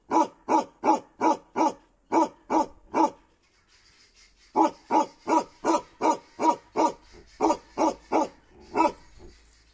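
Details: Bakerwal dog of Kashmir barking in bursts: eight deep harsh woofs, a pause of over a second, then a longer run of rapid barks in two groups, steady loudness and rhythm.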